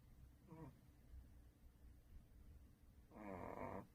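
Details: A sleeping dog named Duhui, the second dog of the household, snores. A short wavering nasal snore comes about half a second in, then a louder, rasping, tonal snore lasts under a second, over a low steady background hum.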